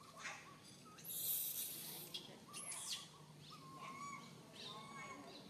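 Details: Tiny baby monkey stuck alone high in a tree, fearfully crying for its mother: faint, thin arched whistles, a few spaced over five seconds, with a loud rustling hiss burst near the middle.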